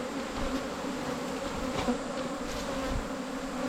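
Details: Asian honey bees at a wild colony during the 2022 honey-hunting season: a steady low droning hum with layered overtones, a faint brief rise in the middle, and a constant background hiss.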